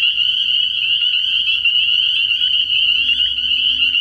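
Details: Spring peepers in full night chorus at a frog pond early in the year, countless high piping peeps blending into a steady shrill ringing band, with faint low hum underneath.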